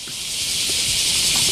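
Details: Summer chorus of bear cicadas in the morning at the great camphor tree of Daitokuji Park, Nagasaki, Japan, in 2019: a dense, steady, high-pitched buzzing hiss that never lets up.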